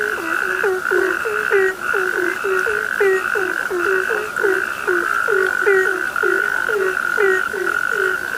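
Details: Many frogs give short, gulping croaks that drop in pitch, tumbling over one another at a fast uneven pace, while a constant high-pitched ringing trill runs underneath.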